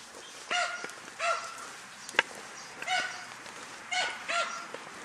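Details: German Hunting Terrier Dunja chasing wild boar, heard a little farther off: about five ringing barks spaced irregularly over several seconds, over low background hiss with one sharp click.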